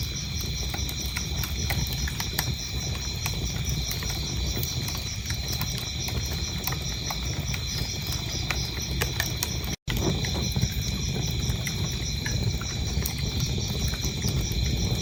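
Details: Crickets keep up a shrill, rhythmic pulsing trill beside a crackling fire. All sound cuts out for a split second near the ten-second mark, then the chirping and fire noise resume.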